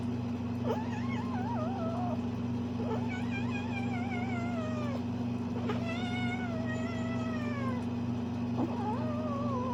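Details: A playing Bengal kitten makes varied wavering, warbling meows and trills, several harmonic calls rising and falling in pitch across ten seconds, over a steady low mechanical hum throughout.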